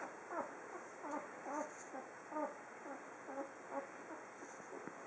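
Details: One-week-old Standard Poodle puppies, whelped June 23, 2015, from CH Pinafore White Ocean Breeze and Celeto's I Love Lucy, give thin high squeaky whines that rise and fall. About nine short cries come in quick succession over a soft steady hiss.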